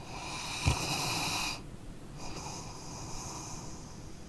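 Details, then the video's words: Sleeping dog snoring: one long wheezy, airy inhale lasting about a second and a half with a short snort at its start, then a quieter breathy exhale, in a quiet room. "Dog Snoring Sleeping Canine"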